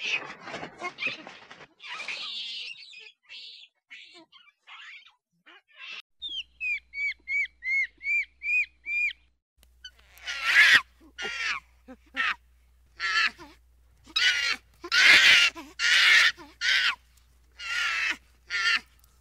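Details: Monkey calls offered for luring nearby monkeys: a burst of harsh, mixed squawks, then a run of short, bright, evenly spaced chirps, followed by loud, broad, rasping screams repeated about once a second.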